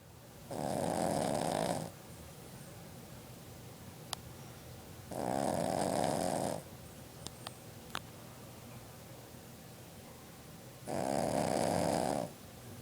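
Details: Ruby Cavalier King Charles Spaniel named Magu, a seven-year-old female, napping on a futon indoors in June 2012; three long, rough snores roughly every five seconds, each a droning rasp, with a few faint clicks between.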